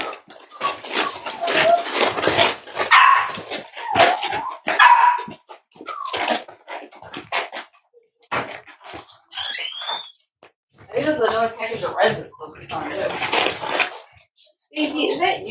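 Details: Litter of five-week-old Cavalier King Charles Spaniel puppies, offspring of Myra and Remy, indoors at Red Barn Cavaliers during weigh-ins on a cold Thursday morning: dense stretches of yelping and fussing with brief whines, interrupted by clattering handling noises.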